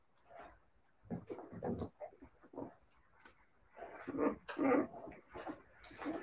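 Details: Siberian Husky puppies give short, soft whimpering yelps in scattered bursts, a few louder cries bunched near the end, with quiet gaps between them indoors.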